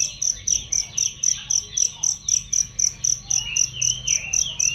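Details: Cricket chirp used to train songbirds: crisp, shrill pulses at about four per second, each a short bright burst, with softer lower twittering notes and a sliding whistle heard beneath near the end.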